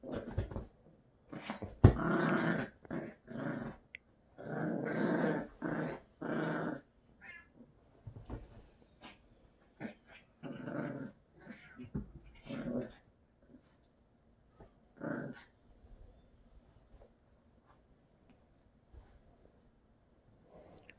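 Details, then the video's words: A Lhasa Apso and a Yorkshire Terrier play-fight on a bed indoors. Harsh, rasping growls and short bursts come in clusters, loudest early on, then thin out to scattered single bursts with quiet gaps. "Playing on the bed with Lhasa Apso and Yorkshire Terrier Barking & Growling"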